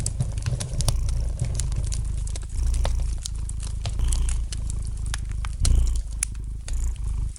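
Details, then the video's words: Relaxed domestic cat purring beside a hearth: a soft, low vibrating drone pulsing in slow breath cycles, several louder swells standing out, accompanied by steady crackling and popping from the fire. "Relax to the gentle purring of the cat and the light crackling of the fire in the fireplace!"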